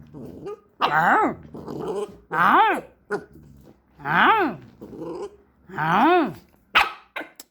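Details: Jack Russell Terrier puppy indoors giving four drawn-out, tonal, arching whines that rise then fall, each about half a second long and roughly every 1.7 seconds, with short softer grumbling noises between them.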